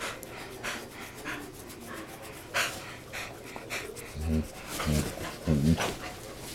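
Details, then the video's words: Playing dogs with funny noises: steady breathy panting, then three short low grumbling growls near the end, with a person's voice faintly in the background. "DOGS PLAYING MAKING FUNNY NOISE"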